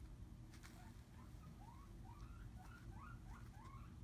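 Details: A female pet skinny pig named Piper, nestled in her fleece bed, gives a string of brief upward-sliding squeaks, about three per second. Faint rustling and a constant low household hum sit underneath.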